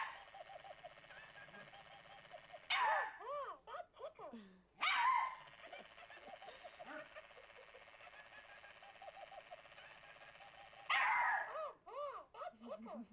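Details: A small Papillon dog, scared by a Tickle Me Elmo toy, gives a few sharp, startled barks over the toy's steady, wobbling electronic giggle.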